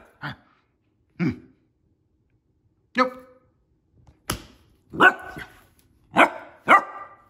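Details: A playful female Basset Hound puppy named Millie barks while acting like a tough girl. Single low, husky barks come about a second apart, then build into louder, quicker barks near the end.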